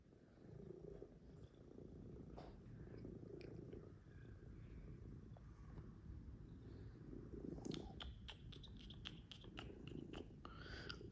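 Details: Pet cats cuddling on a Sunday morning, heard as a soft, low, continuous rumbling purr close by, with light tapping and rustling clicks toward the end in a quiet room.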